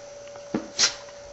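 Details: Shiba Inu sneezing to beg for food indoors on request: one sharp, breathy, hissing burst of a sneeze, preceded by a soft snort-like thump, over a steady quiet room hum.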